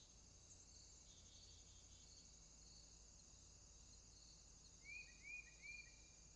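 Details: Night swamp with crickets: an unbroken, thin, high buzzing chorus fills the background. Near the end comes one burst of three brief upslurred whistled notes over a faint low hum.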